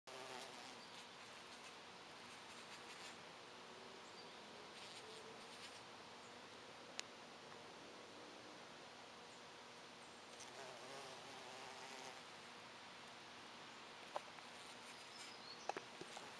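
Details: A foraging bumblebee's low, steady droning buzz hums on and off as it moves about.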